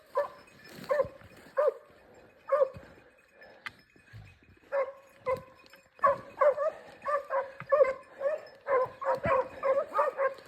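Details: Segugio Italiano scent hound on a hare hunt in a Cyprus forest: scattered baying yelps at first, then a faster run of repeated cries in the second half.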